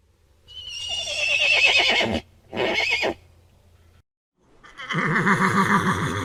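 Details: A horse whinnies, a high shrill neigh that breaks into a rapid tremolo and drops in pitch, then a short second burst, and after a brief pause a lower, rougher vibrating neigh.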